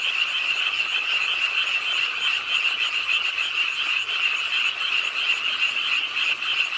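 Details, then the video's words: On a rainy night by a city park pond in Suwon, South Korea, frogs croak with the rainfall; a thick, continuous chorus of rapid overlapping calls holds steady throughout, rain hissing beneath. "비오는 밤 공원 연못 추억의 개구리 소리"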